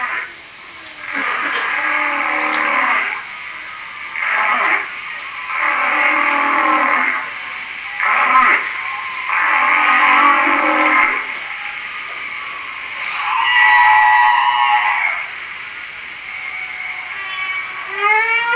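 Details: Humpback whale song recorded in Hawaii: drawn-out harmonic moans repeated in phrases, ending in quick rising whoops.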